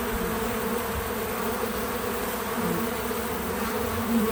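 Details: Bees at a feeder buzz in a steady, low droning hum that carries on without a break. Bee.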